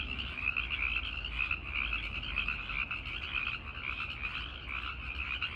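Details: A dense night chorus of tree frogs, with many overlapping high, trilling calls, the males singing while the females listen.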